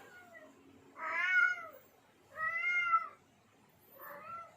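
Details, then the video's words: Domestic tomcat in heat calling for females, three plaintive, harmonic meows about one and a half seconds apart, the last shorter and softer, over a low background hiss. "Suara kucing jantan birahi _ suara pemikat kucing betina"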